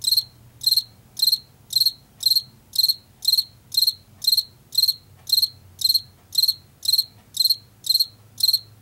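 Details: A Washington field cricket repeats crisp, high chirps at close to two per second, each chirp a quick cluster of pulses, over a faint low-pitched drone.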